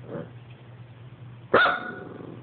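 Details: Dog barking at an Xbox: a faint murmur, then one sudden loud bark that trails off, over a steady low mechanical hum.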